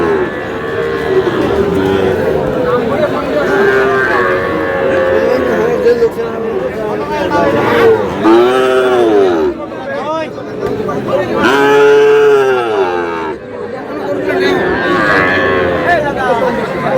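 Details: Sahiwal bull calf among cattle bought by a Sylhet farmer on 11 July; deep, drawn-out moos rise and fall around eight and twelve seconds over constant human chatter and bargaining voices.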